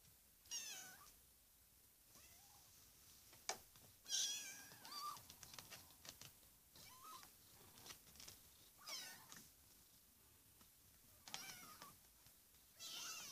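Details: Naia's kittens at four weeks old mew repeatedly: thin, high, quavering cries that rise and fall, several overlapping, with brief pauses between calls, in a quiet indoor room.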